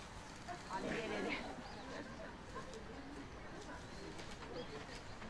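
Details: A giant panda, filmed around 2 pm on 7 November 2020, gives a brief, goat-like, wavering bleat over steady background noise. It runs and calls repeatedly at another panda's door, wanting to enter, perhaps missing her or seeking attention.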